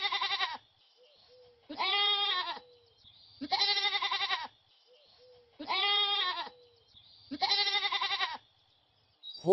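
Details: Goat repeating a loud, trembling bleat about every two seconds, five bleats in all, each lasting under a second with a strong quaver; faint short whistled tones fall between them in otherwise quiet surroundings.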